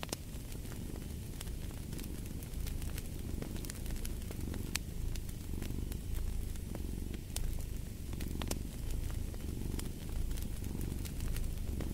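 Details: Cat purring next to a fireplace: a deep, even rumble rising and falling in roughly one-second breath cycles, overlaid by scattered crisp crackles and pops from the fire.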